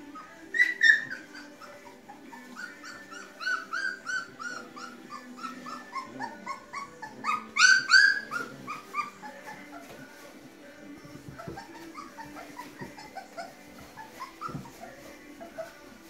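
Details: Three-week-old Llewellin Setter puppies, a litter just moved in the evening from their whelping box into a play pen with pine shavings: many overlapping high whines and yelps, each dropping in pitch, tumbling in rapid irregular bursts.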